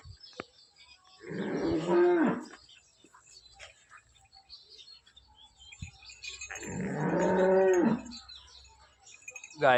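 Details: Holstein Friesian cow, a calm pet milking cow due to calve soon, Somthane village, Sinnar taluka, Nashik: two long, harmonic moos about five seconds apart, each swelling then dropping in pitch, with faint background clatter.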